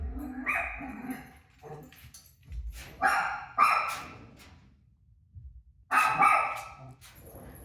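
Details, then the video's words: Rosie the dog barking at a TV showing her own barking; a few scattered barks of mixed loudness with quieter gaps and low background rumble. "Crazy Rosie Barking At Her Barking Self On TV"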